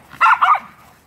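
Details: Miniature Schnauzer in a feisty playful mood lets out two loud, sharp barks in rapid succession, a fraction of a second apart, then falls quiet.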